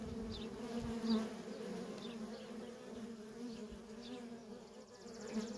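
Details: Worker honey bees in nonstop traffic at a feral colony, a dense continuous drone of many wings humming low and steady, with faint higher sweeping buzzes of individual bees passing close.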